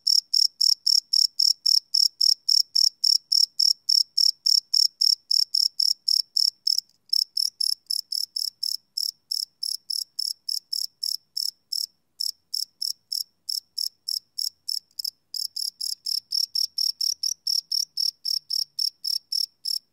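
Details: Crickets chirping at night, recorded live on a Sony PCM D100 field recorder: steady high pulses repeated about three to four times a second, with brief gaps near seven and twelve seconds, no other sounds.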